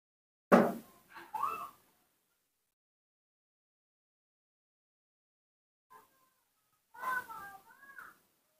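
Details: Newborn baby monkey, rescued and kept at home, having topical ointment applied to badly injured face and back of head. A sharp thump, then a short arched squeal, a long silence, and a cluster of wavering tonal squeaks near the end.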